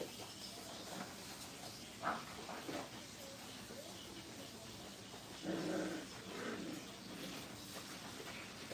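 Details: Five-week-old Brittany puppies in a crate at a training kennel, indoors on linoleum flooring; a brief whine early on, then a longer steady tonal whimper lasting about half a second, over constant background hiss with faint scuffling.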